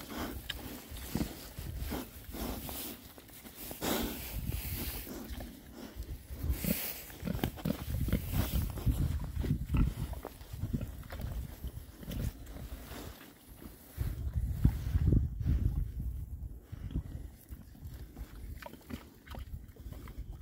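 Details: Group of six rare-breed Oxford Sandy and Black pigs foraging outdoors in winter between storms; continuous deep grunts about twice a second mixed with chewing, rooting and rustling, a few sharper noises scattered through.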